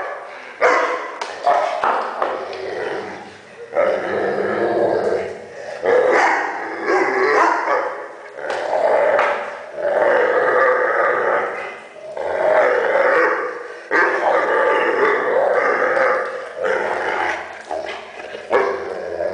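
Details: Weimaraner dog making funny noises, drawn-out whiny groans and grumbles repeated in bursts of one to two seconds, wavering in pitch, with brief silences between them.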